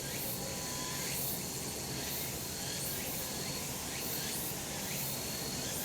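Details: Summer mountain cicadas in the sun give a constant shimmering hiss-like drone, high and even in loudness, with a faint held tone on top and scattered quick rising streaks.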